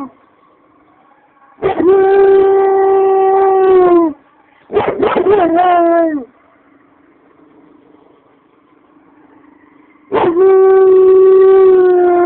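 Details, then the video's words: Domestic German Shepherd answering police sirens with its own siren-like howl to warn its owner they are near: three loud harmonic howl bouts, the middle one broken and sliding downward, separated by quiet stretches with a faint steady background tone. "(My GSD) Howling at Police sirens"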